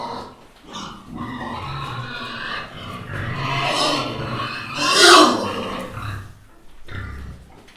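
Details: Little pigs (Sus domesticus) grunt and snuffle while eating, with a louder squealing burst midway.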